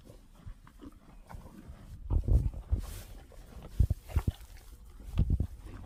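Cows feeding, with soft, irregular munching and crunching bursts and low thuds as they tear and chew.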